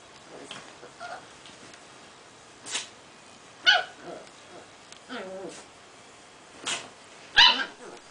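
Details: Small Prague ratter making noises during play: sharp high yips and short barks in separate bursts every second or two, plus a brief whining run, in a quiet room.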